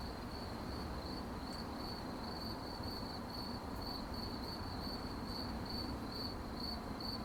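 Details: Night-time crickets giving a continuous run of fast, regular high-pitched pulses, bright and unbroken, with a soft low-frequency noise bed underneath.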